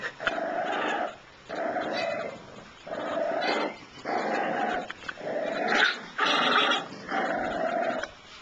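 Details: Young Shiba Inu puppies producing a run of seven grumbling growls, each near a second long, rasping and mid-pitched, the later ones slightly brighter and louder, with brief pauses between.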